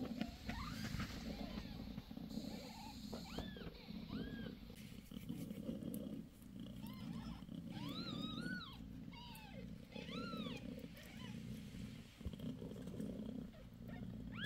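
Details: Mother cat Bassy purrs steadily beside her litter of five kittens, six days after giving birth; thin rising-falling mews break in mid-clip, with a faint high hiss early on.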